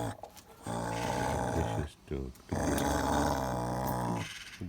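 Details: A male bulldog makes long, low, grumbling growl-moans, demanding his Kong toy, while a person talks.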